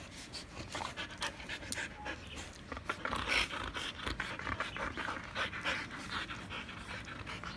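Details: Siberian huskies Barry, Candy, Cookie and Happy, three trying to snatch a treat stick from one, pant hard in quick, breathy, uneven bursts, several per second, over a low steady background hum.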